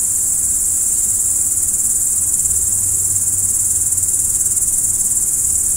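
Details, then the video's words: Night-time cricket chorus, a constant high-pitched ringing trill with no pauses, evenly loud from start to finish over a faint low background hum. "Stars at Night BLACK B/G - Video & Audio Crickets"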